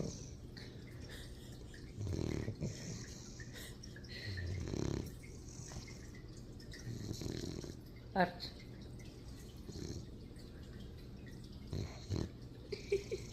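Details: Archie, a Shar Pei puppy, snoring while asleep indoors: rough low rasping breaths in bursts every two to three seconds, with a quiet voice speaking over parts of it.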